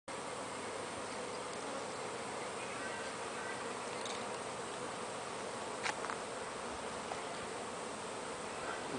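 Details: Wild bees at a very large natural hive near Brisbane, Queensland, Australia, with many bees at the entrance. A steady, dense droning buzz fills the whole stretch, with a brief click near six seconds.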